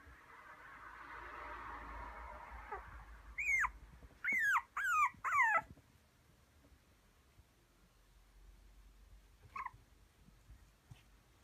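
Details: Thirty-eight-day-old white male puppy, a small Maltese and Toy Poodle mix from Kumamoto, Japan, filmed 19 December; after a soft rustle, four sharp, high whining yips in quick succession, then one faint whimper later.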